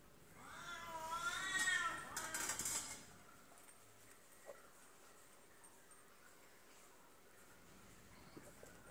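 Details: Female F2 Savannah cat picking a fight with a serval: a wavering, harmonic yowl rising and falling for about two seconds, followed by a harsh hissing burst, then near silence with faint taps.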